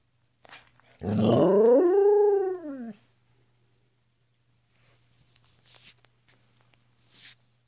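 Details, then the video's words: Abbey, a female Flat-coated Retriever, 'talking' to her owners with one of her many voices: a single drawn-out, tonal 'rooo' lasting about two seconds that rises then sinks. Soft scattered noises follow, over a steady low hum. "Abbey's Rooo"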